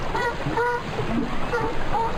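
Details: California sea lion, familiar at La Jolla Cove, giving a series of hoarse, honking barks, each a short burst repeated in quick succession.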